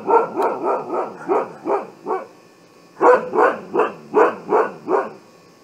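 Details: Siberian Husky giving alarm barks: a fast run of six arched, rising-falling barks, a pause, then another rapid burst of seven, steady and emphatic with no other sounds.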